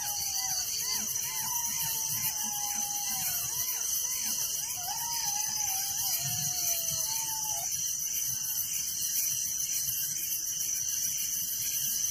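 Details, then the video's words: Crickets at night in a village: a dense, steady, high shrill chorus with a fine pulsing texture throughout, while lower wavering whistled tones slide and repeat for the first eight seconds. "Relaxing Night Crickets Sound in Village"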